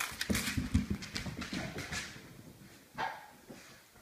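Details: Basset hound puppy tearing around the house indoors after a bath: a quick run of short, gruff barks and growly bursts in the first second, followed by scuffling, thumping movement noises and a lone fainter yelp near three seconds.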